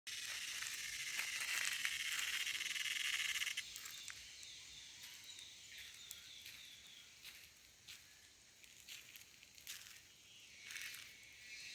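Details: A cicada making a loud noise: a harsh, hissing buzz for the first three and a half seconds cuts off abruptly, then fainter, scratchy bursts of buzzing come and go.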